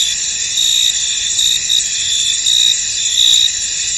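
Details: Crickets singing in a foggy field make a continuous shrill chorus, with brief bright trills breaking through more than once a second amid the high, even hum.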